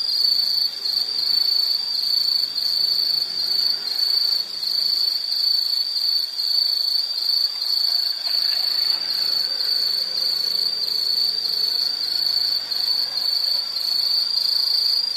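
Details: Insects in a relaxing nature soundscape, a steady high-pitched band of dense, continuous chirping with regular pulsing and harmonics above, no other clear sounds.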